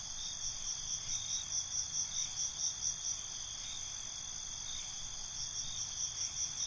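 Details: Crickets chirping at night in a sleep and relaxation ambience: dense, steady high-pitched trilling in several bands, with pulsing chirps repeating about twice per second over a faint low background hum.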